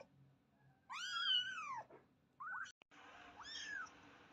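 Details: Little kitten letting out one long, drawn-out high meow that rises and slowly falls, followed after a pause by two shorter, softer mews, with a faint room hum behind.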